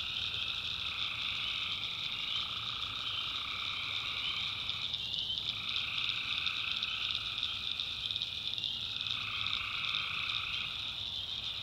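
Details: Tree frogs at night in a North Carolina swamp keep up a thick shrill trilling chorus, with upper layers dipping and resuming twice, over a quiet low drone.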